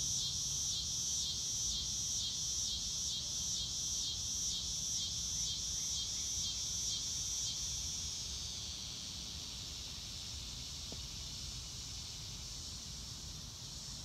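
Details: Crickets in open nature give rapid, very regular high chirps for about eight seconds, then the pulses fade into a faint steady hiss.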